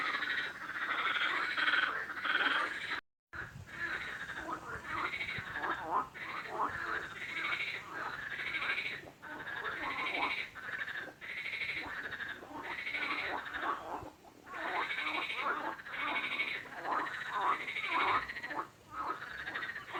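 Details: Frogs call in a continuous chorus of grating, pulsed croaks, bursts following each other closely, broken once by a short silent cut early on.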